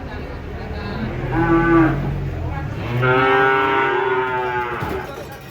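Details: Huge cow coming down from a truck, giving two bellowing moos: a short one, then a longer, fuller one lasting about two seconds.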